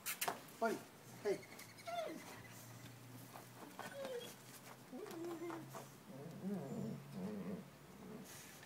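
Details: Buddy Bear, a pet dog, digging in a garden while being urged on: short whining whimpers that rise and fall, several over a few seconds, with a man's encouraging voice talking over them.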